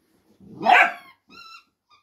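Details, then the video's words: A Dachshund, one of two playing rough and tumble while talking to each other, gives a single harsh, raspy bark, then a short thin whine-like squeak with a faint squeak after it. "Dachshunds talking"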